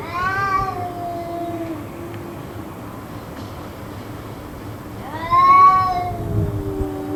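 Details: Persistent cat yowling during a suspected fight that went on for roughly two hours; two wavering, harmonic wails five seconds apart, the later one louder, set against a low murmuring drone.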